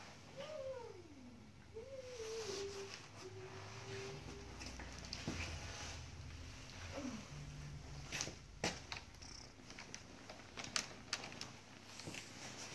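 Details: Sleepy house cat lets out a few soft, drawn-out meows, each sliding downward in pitch, then a brief short mew, followed by rustling, clicks and a faint purring rumble underneath.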